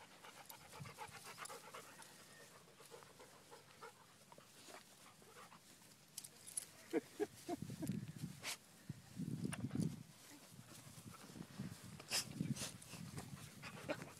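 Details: Dogs on an outdoor group puppy hike, including puppies and an adult therapy dog named Ty, pausing from chasing a green monkey toy; rapid rhythmic panting, roughly four breaths a second, with scattered sharp clicks and brief rustling.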